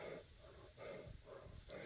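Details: A happy Cane Corso makes low, snorting, piggy-like grumbling noises in repeated breathy pulses while greeting its owner at home with a toy and kisses.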